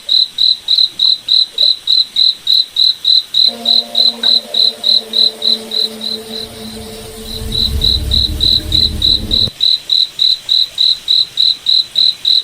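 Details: Cricket in a night forest, steady high chirps at about three and a half per second; midway a low humming rumble swells and briefly covers the chirps before they resume clearly.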